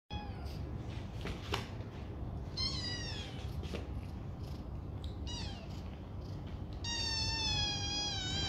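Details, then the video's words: Foster kittens from two litters playing in a donated banana-shaped bed, kitten names including Fluffy, Chip, Ziggy, Kenzo and Java; several high, wavering meows come in short bursts, the longest and loudest near the end, over a steady low indoor hum and soft thumps. "Foster Kittens Play In Their New Banana Bed!"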